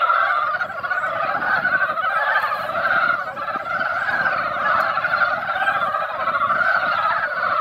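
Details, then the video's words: Chorus of mountain frogs at a valley pond where they came out after light rain to gather and lay eggs; constant, pulsing, overlapping clucking croaks fill the whole stretch, with soft low rumbling beneath. "산개구리 노래"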